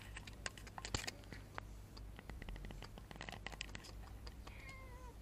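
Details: Frightened female cat with a grumpy face, found in a motorbike parking lot, shying from human touch and trying to escape as approached; a single drawn-out, falling meow near the end, preceded by many sharp clicks and rustling.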